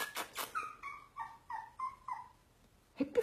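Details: Husky giving a run of about six short, tonal whimpers in under two seconds, each sliding slightly downward in pitch, with a brief higher squeak at the end.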